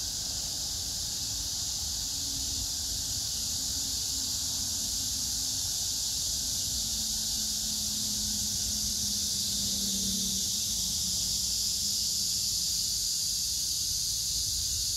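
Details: Cicadas with grass insects, 9 August 2024, in Hwarang Park beside the Gyeonggi Museum of Art, Choji-dong, Danwon-gu, Gyeonggi-do, among pink crape myrtle blossoms: an unbroken high shrill hiss, with a low droning hum passing midway.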